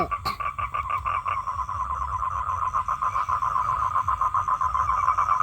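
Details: Toad, a male calling for females to breed, delivers a fast, evenly pulsed trill at one steady pitch. Louder separate knocks sound in the first second, then the trill continues alone.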